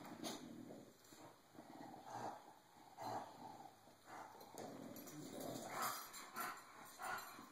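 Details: Cisco the bulldog, worn out from being bullied, recorded on an Android phone, gives soft, breathy grunting bursts at uneven intervals, rising and fading over several seconds, with a faint steady high hum behind.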